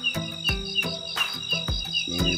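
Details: A katydid (belalang), heard at night from atop a jackfruit tree near homes in a residential area, gives a loud, steady, high-pitched buzzing song over background music.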